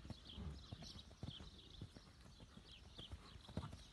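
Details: Lusitano horse moving at liberty, hooves producing irregular thudding clip-clop beats, several per second, over a low rumbling background with faint high hiss.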